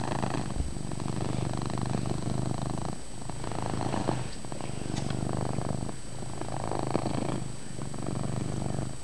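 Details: Chase, a house cat, purrs loudly indoors in poor light, the deep rumbling drone rising and falling in long breathing cycles of roughly two to three seconds with faint rustling.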